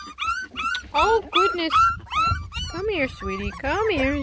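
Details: Ten lemon and tricolor Beagle puppies trying food for the first time, complaining; a chorus of high, rising-then-falling whines and yelps, several per second and overlapping, with a woman's voice softly talking to them.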